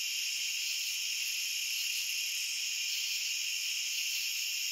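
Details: Steady cricket chorus of high, shimmering tones blending into a constant hiss, level and uninterrupted, without other animals or background noise.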